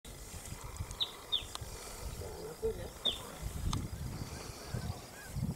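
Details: Dwarf mongoose at Buffalo Springs, Kenya, giving a few brief, sharp high-pitched chirps over low rumbling background noise.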